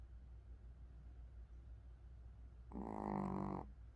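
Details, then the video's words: Pomeranian asleep, snoring once: several seconds of near-silent room hum, then a single loud, buzzy, harmonic snore lasting under a second. "강아지 코골이"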